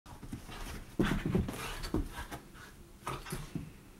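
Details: Three female Whippets playing wildly make short huffing, grunting bursts in quick clusters, loudest near the first and third seconds, with rustling movement between.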